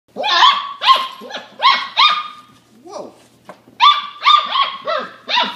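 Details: Irish Water Spaniel puppies playing, running back and forth over a small A-frame, giving a series of loud, sharp, high yapping barks in quick bursts, with a short pause midway before another volley of rapid yaps.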